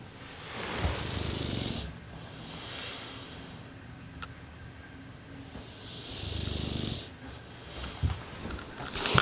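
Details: A sleeping Dogue de Bordeaux, a pet dog at home, snoring: deep rasping inhalations roughly every five seconds, each a low rumbling burst with a hissy top, separated by quieter breathing.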